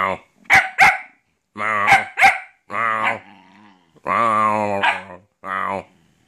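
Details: Titiuu, a Shetland Sheepdog puppy, talking and playing in an apartment. Two pairs of sharp short barks, then longer harmonic yowling vocalisations with rising and falling pitch, separated by brief silences. A woman speaks nearby.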